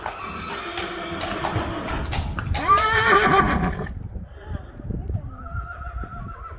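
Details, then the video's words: Friesian horse giving a shrill, wavering whinny that rises and shakes for about a second, preceded by rustling and low thumps; afterwards a steady, faint tonal hum continues under soft knocks. "Neighing horses. More than 100 times | April Fools' Day | Friesian Horses"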